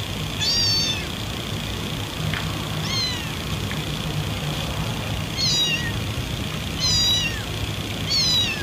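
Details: Domestic cat meows meant to attract other cats: thin, high mewing calls with falling, stacked tones, heard about five times over roughly eight seconds against a steady hiss and low rumble.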